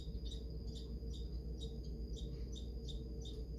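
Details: Squirrel at a bird and squirrel feeder in Highgate, Saskatchewan, Canada, chattering while upset that another squirrel has found its feeding spot: rapid, high, scratchy bursts repeated about twice a second over a low steady hum.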